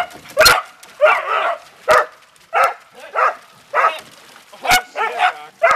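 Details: Several pet Beagle/Dachshund dogs playing in water, barking excitedly: rough, ragged yaps repeat quickly, over ninety a minute, some stretched into short harsh cries, with sharp splash-like cracks between.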